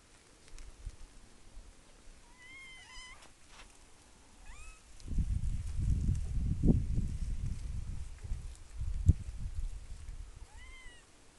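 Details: Curious young black kitten climbing and trapped on a tree outdoors gives short, high, downward-bending mews, a few around two to five seconds and one near the end, with rustling and handling noise in between.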